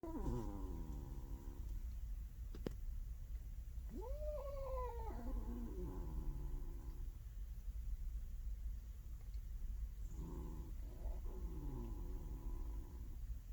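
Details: Large domestic male cat growling and twitching in his sleep as if in a fight: short moaning, wavering vocal bursts rising then falling, in three spells over a low steady background hum.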